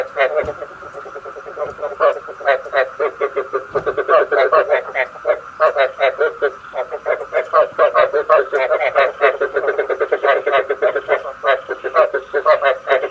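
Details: Frog calls used as a night-trapping lure: dense trains of rapid, harsh croaking pulses overlapping almost continuously for the whole stretch, several callers at once, in a fairly quiet background.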